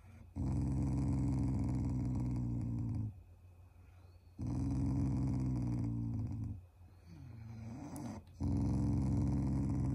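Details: Pet Shiba Inu growling playfully as a show of affection toward its owners, not angry, indoors: three long, low, rumbling growls of about three seconds each, separated by short pauses, with a brief whine between the second and third.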